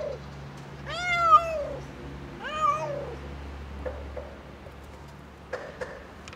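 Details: Mother domestic cat, pregnant and struggling to give birth, guarding her kitten against a helping man: two drawn-out, bending meows followed by faint clicks and room hum.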